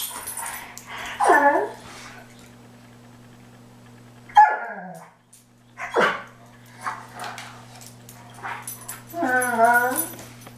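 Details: Two Dobermans duke it out over a single cooling pad on a hot day. Short harmonic growling barks burst out near the start, middle and end, separated by quieter scuffling, over a steady low electrical hum.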